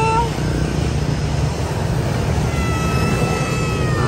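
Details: Persian cat giving a short, harmonic mew at the start, followed by faint, drawn-out tonal mews later on, all over a steady low rumble of traffic-like background noise.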